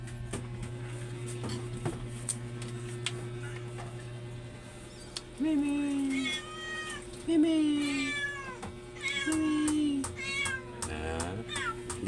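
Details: Domestic cat meowing indoors: three drawn-out, slightly falling meows around six to ten seconds, then a rising wail near the end, over a steady low mains hum and faint clicks.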